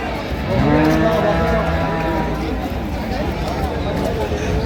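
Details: At Ambari Haat market in Dinajpur, 15 September 2025, where improved-breed dairy cows and calves stand for sale: a short flat low moo near the start, partly masked by nearby voices and general market din.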